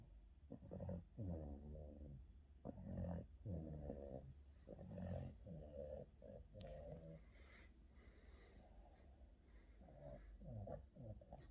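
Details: Boston terrier during an afternoon nap, snoring in low, rough, rattling breaths that come in bursts about every second, with a few uneven pauses between them.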